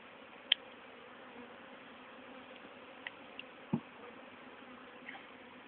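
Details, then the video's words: Swarming honey bees, re-hived in a poly nuc, April 2011, described as dark and docile; faint continuous humming drone under a few isolated clicks and a low thump. "Swarm 29-30th April 2011"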